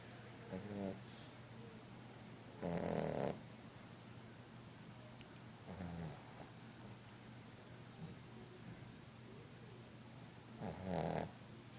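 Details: A new Boston Terrier puppy snores while sleeping, in rough, breathy bursts spaced a few seconds apart.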